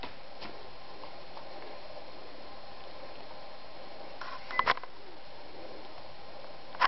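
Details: Quiet indoor hum with a few sharp clicks and beeps near the end.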